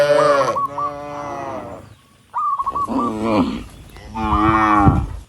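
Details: On a rural road, dozens of tame cattle walking toward the barn moo to call others; three loud, drawn-out lowing calls, each about a second long, with a short silent gap and a brief chirp between.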